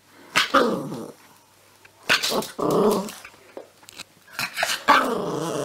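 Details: A puppy indoors gives sharp barks that run into rumbling growls. Three or four uneven outbursts are separated by short quiet gaps.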